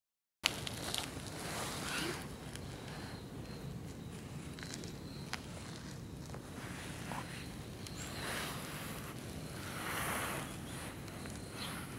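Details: Outdoor park ambience of steady wind rushing against the microphone, scattered footsteps and a distant vehicle hum, with no animal calls.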